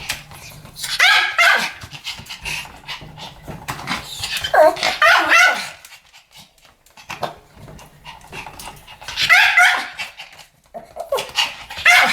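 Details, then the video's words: Two Pomeranians barking as a duet, the high yapping barks coming in clustered bursts with short quiet pauses between them. "ポメラニアン Pomeranian デュエット吠え 1000回 犬の鳴き声"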